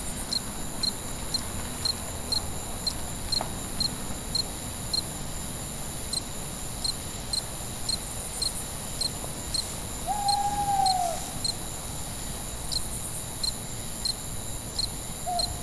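Crickets chirp in steady, evenly spaced high pulses over a constant background trill at night.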